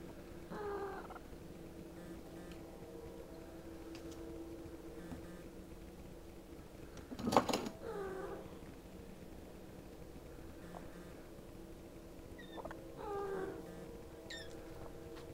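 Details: Mother cat trilling in concern while her kittens Spot and Puff fight, after a month locked in a garage; short soft rising trills near the start, middle and end over a quiet hum, with one brief clatter.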